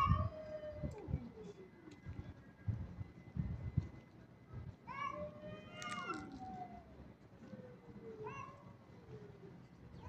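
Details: Kitten in an aggressive mood meowing: drawn-out, falling harmonic meows, one near the start, a longer wavering one around the middle and a shorter one near the end, over low rumbling handling noise and faint background voices.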